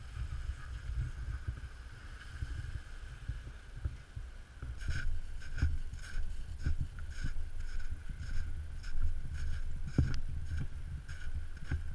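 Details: Outdoors two days after a snowstorm, low wind rumble buffets the microphone while soft irregular crunching steps are heard, with no animal calls.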